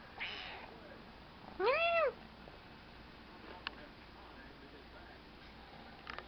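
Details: Newly adopted three-month-old kitten giving a single clear meow, rising then falling over half a second, with a few soft clicks and a brief noisy rustle before it in a quiet room.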